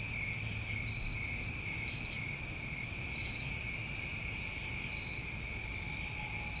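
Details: New England summer crickets produce a sustained, piercing trill that barely varies, joined by one short, faint higher flutter midway, all above a gentle low rumble.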